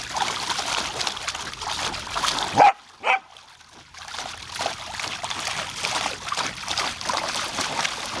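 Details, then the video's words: Samoyed named Savannah, a female pet, playing with spraying water from a garden hose on a summer day; two short, sharp barks close together midway, over a steady hiss and splatter of hose water. "Samoyed tries to save "drowning garden hose""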